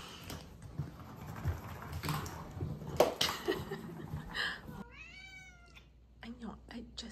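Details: Female Ragdoll cat indoors, handled and purring, with rustling and a woman's voice at first, then a clear drawn-out meow followed by a few short chirping meows.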